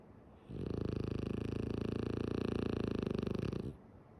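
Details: Female French Bulldog Tsumugi sleeping with eyes open gives one long snore of about three seconds, a fast, even, vibrating rattle that starts and stops abruptly, in a quiet room.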